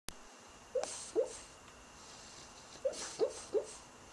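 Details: Ponyo, a pet dog, barks in his sleep while dreaming: soft, muffled little woofs, two early and three later in a quick cluster, over a quiet indoor background.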